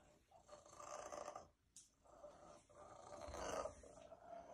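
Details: A female domestic cat that loves being around people purrs loudly in a rough, rumbling rhythm that swells with each breath.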